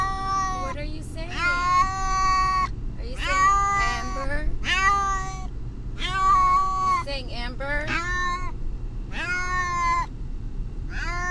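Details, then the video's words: Pet cat Brutus the Beefcake, distressed in a vehicle on the way to the vet, yowls almost nonstop: a quick series of strained, wavering meows, some short and some stretched, backed by continuous low road rumble. "Brutus the Beefcake....the talking cat!"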